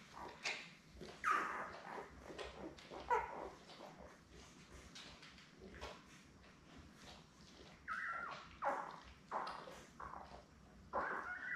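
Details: Seven Labrador Retriever pups born May 24, 2021, lying with their mother Belle on June 3: thin squeaky whimpers come in short bursts spaced a few seconds apart, over low rustling and clicking.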